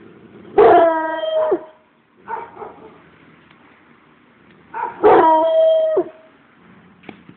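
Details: Treeing Walker Coonhound giving two long, loud, harmonic bays about a second each, held at a steady pitch and ending abruptly. A shorter, softer yelp falls between them and a faint click follows at the end.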